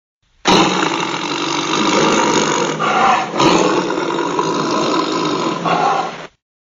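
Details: Tiger snarling: one long, loud, harsh and rasping growl of about six seconds, rich in buzzy overtones, with a slight dip in the middle before it swells again and stops abruptly.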